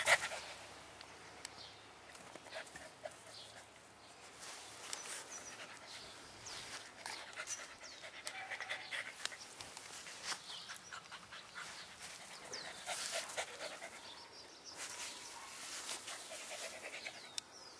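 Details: Young Lhasa Apso puppy panting: soft, breathy, hissing bursts repeat rapidly and unevenly throughout, with a few louder puffs and no other clear sounds.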